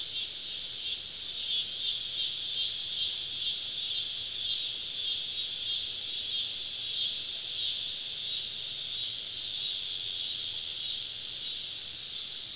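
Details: Summer evening cicada chorus deep in southern woods during a camping trip: continuous bright, hissing buzz with fast regular pulsing running through it, slightly fading toward the end, with low rumbling background.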